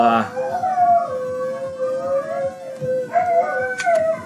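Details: Pet Siberian husky and Alaskan malamute, two very vocal dogs indoors, howling in a long bout: sustained, wavering howls sliding up and down, with a brief higher note at the start and overlapping voices near the end.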